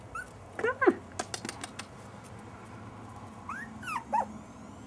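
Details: Jack Russell Terrier puppies, five and a half weeks old: a few high, arching whimpers and yips in short bursts near the start and again near the end, with soft clicks and quiet indoor room noise between.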